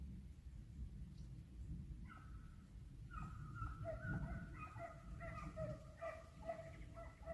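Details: Hunting dogs in full cry while hunting hare in Italy, a hare flushed and sighted twice; tonal baying barks start after two seconds and build into overlapping calls from several dogs over low rumbling wind.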